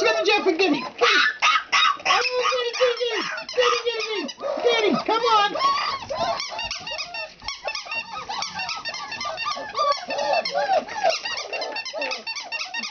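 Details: Four-week-old puppies playing indoors, a litter squeaking and whining in dense, overlapping high-pitched bursts, some with rising and falling whines, with voices and music in the background.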